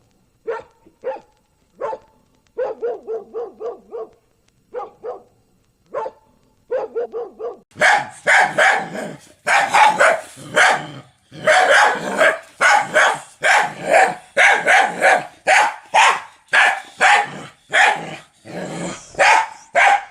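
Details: Dog barks: short clipped barks in small groups at first, then louder, harsher, broader barks follow rapidly and steadily in the second half.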